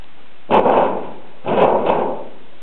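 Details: Kiwi the dog barking while trying to catch a squirrel hidden under a metal sheet; two hoarse, noisy barks about a second apart, each followed by a softer second burst.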